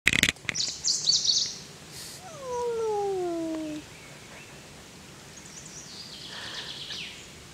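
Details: Cats met in a forest quarrelling: a drawn-out falling yowl with a bright harmonic above it, sliding down over about a second and a half, after sharp knocks and brief high chirps; faint hiss and rustle afterwards.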